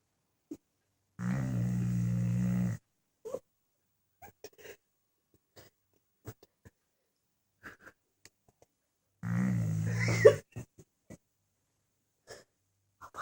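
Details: Sleeping dog snoring loudly, compared to a tank: two long, deep, rumbling snores about eight seconds apart, each lasting over a second, with faint soft clicks and rustles in the quiet between.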